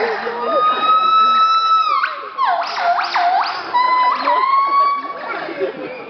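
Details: A gibbon at Parken Zoo on 2 June 2011 gives loud, siren-like hoots: long steady notes broken by quick rising and falling swoops.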